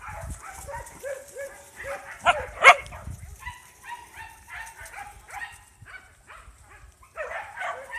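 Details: Three small pups with an adult dog, making repeated high whining yips and squeaks that rise and fall, several per second, with a brief louder burst in the middle and a woman's voice speaking softly nearby.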